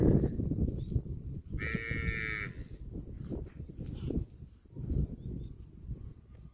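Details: Cattle eating grass give a single nasal moo of about one second, bright and steady, surrounded by low rustling and chewing sounds.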